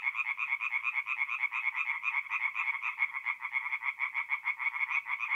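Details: Night-time tree frog song from a forest pond in north-east Italy during mid-April, many callers overlapping in a rapid, slightly uneven stream of harsh croaking notes.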